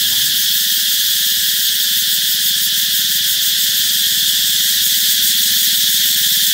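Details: Cicadas calling out as summer nears: a steady shrill high buzz fills the air while a low, rapidly pulsing rumble runs underneath.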